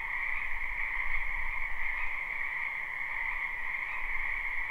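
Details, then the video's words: Frogs in a spring wetland behind a house form a dense, continuous trilling chorus with a bright upper band and a softer lower band; a faint low rumble murmurs underneath, live recording. "Ambient Noise for Sleep Frogs"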